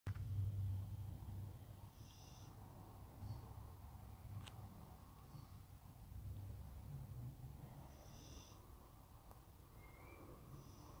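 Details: Sleeping beagle dreaming, giving low, rumbling snores and snuffling breaths that pulse quickly and steadily, with a few faint higher clicks and squeaks in the quiet room.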